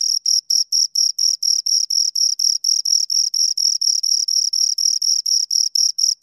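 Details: Close, high-pitched cricket chirping from two insects. Bright, clipped pulses repeat about four times a second with a slight unevenness in spacing. Nothing else is audible.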